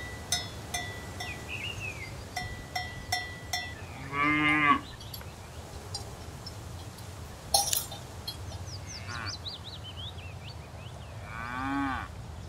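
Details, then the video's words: Cows grazing in a field give two drawn-out, low, harmonic-rich moos, one near the start and one at the end, while cowbells clank in quick bursts and small birds chirp and twitter in the background. "Cows mooing & grazing in a field"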